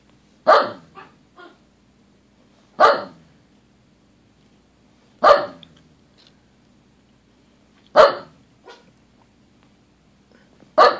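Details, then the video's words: Xena and George, two dogs, barking at nothing, with loud, harsh single barks repeated about every two and a half seconds, five in all, each followed by a softer short yip, against a low steady hum. "Xena and George barking at nothing"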